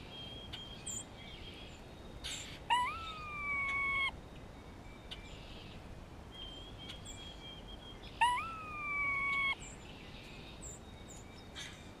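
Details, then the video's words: Grey squirrel in spring, responding to a nearby hawk: two drawn-out tonal moans about five seconds apart. Each starts with a quick rise and holds steady for over a second. Faint ticks and chirps are heard between them. "Grey squirrel vocalizations"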